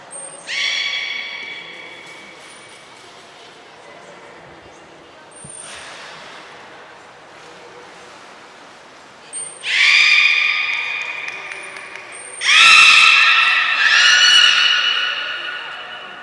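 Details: Belugas during a training session with all animals taking part at Port of Nagoya Public Aquarium, 2 April 2023: drawn-out harmonic whistles with short high chirps, in loud bursts with pauses between, echoing indoors.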